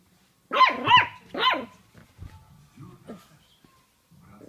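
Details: Jack Russell Terrier puppy playfully fighting a mandarin: three quick, sharp, high barks in a rapid burst, followed by low throaty growls and snorts as the puppy keeps tussling.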